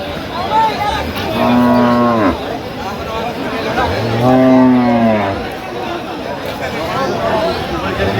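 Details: Cows at the Aftabganj livestock market, a twice-weekly cattle market; two long harmonic moos, each about a second, falling slightly in pitch, separated by a short pause, amid steady crowd murmur.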